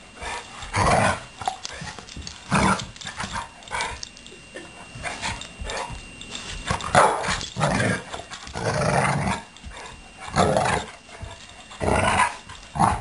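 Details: Play-fighting pet dogs Blue and Suri, Blue keeping his hovering leg off the ground; loud, harsh growling bursts recur every second or two, with quieter scuffling between.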